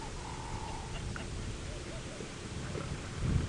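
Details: At Djuma Game Reserve, Sabi Sand, on a sunset drive on 4 August 2017, a female leopard gives a low, steady, rumbling threat growl at a young male, ears pinned back in aggression, as a man talks quietly.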